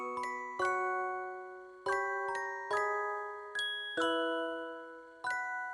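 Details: Soft glockenspiel notes ring out in irregular clusters of bright, decaying chimes, with no snoring or other animal sound.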